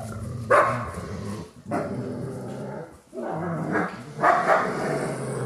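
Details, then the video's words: Dogs growling in a binaural 3D ambient recording, with rough snarling rumbles punctuated by sharp bark-like outbursts roughly every one to two seconds, each burst harsher and louder than the growl beneath. "CANI RINGHIOSI"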